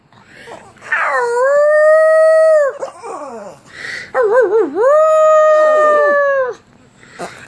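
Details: A pug howls twice in long, sustained tones. Each howl starts with a wavering, quavering onset and then holds a steady pitch. Snuffly, breathy noises fill the gaps between the howls.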